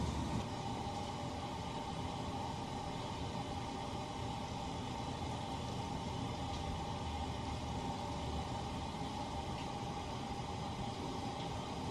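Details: Continuous even rushing noise, like running water from a shower, filling the whole recording without any animal calls.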